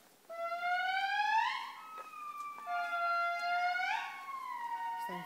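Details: An indri (Indri indri) in Andasibe, Madagascar, gives long, eerie wailing howls that swell upward in pitch like a slow siren.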